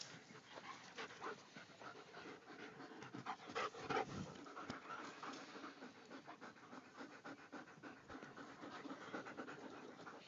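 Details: A pack of German Shepherds from Paradise Creek, with rapid rhythmic panting of roughly three breaths a second running throughout, overlapping breaths from several dogs, and a brief louder scuffle near the middle.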